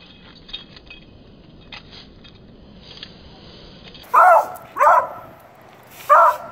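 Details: Beagle puppy indoors barking at a broom, seemingly a little afraid of it: after about four seconds of quiet room noise, three loud, short, mid-pitched barks come in quick succession, the last after a brief pause.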